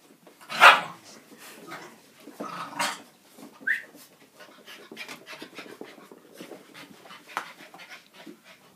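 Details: Norwich Terrier puppies Bumble and Fimble: a sharp loud burst near the start, then a brief high thin whimper, followed by light irregular panting breaths and faint rustling.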